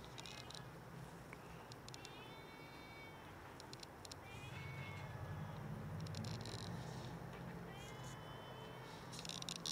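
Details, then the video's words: Several hungry cats meowing loudly while begging for food until fed; high, harmonic meows come in short bursts with gaps between, over low rumbling background noise and scattered clicks and rustles. "Cats meow loudly until I fed them"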